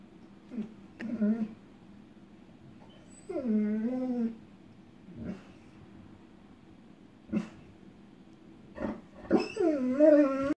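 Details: Echo, a female pet dog, whimpers and barks after seeing lightning in the distance before any thunder, afraid of the storm; short sharp yips alternate with drawn-out whining whimpers that rise and fall, indoors in a quiet room.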